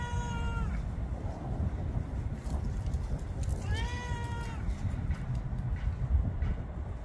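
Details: Florida house cat, around 11 years old, voicing a meow cut off at the start, then one full drawn-out meow that dips at the end, with steady low hum throughout.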